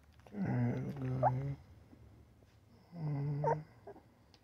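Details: Newborn puppy yawning with little baby grunt squeaks: two low, drawn-out nasal groans about a second long, each with a brief higher squeak inside, separated by a quiet gap.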